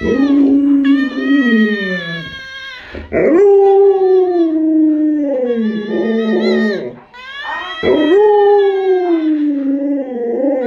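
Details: Pet Alaskan Malamute Luoluo howls in three long drawn-out phrases, each starting with a sharp rise then sagging slowly downward, with wavering tones and brief breaths between; faint human voice in the background.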